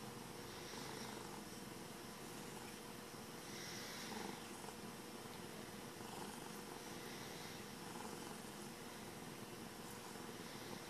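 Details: Rudy, a happy domestic cat, purring: a steady, unbroken rumbling purr that holds an even level across the whole stretch, under a wash of soft broadband hiss, with no other clear sounds.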